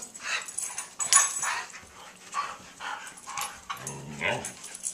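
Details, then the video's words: Five Siberian Huskies playing together indoors, giving a string of yowling, whining talk-like vocalizations with rising and falling pitch, one ending in a long wavering whine, over a steady low hum. "5 Siberian Huskies Playing and Talking"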